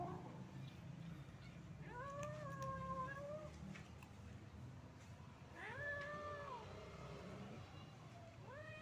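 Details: Hungry stray cats, kittens among adults, gather for a meal; three plaintive meows, the first two long and level before dropping, the last cut short, over constant low-pitched street noise.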